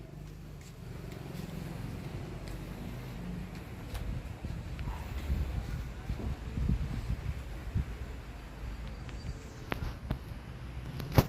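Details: Outdoor low rumble of traffic and wind with scattered clicks and footsteps, ending in a sharp knock; no animal voice is heard.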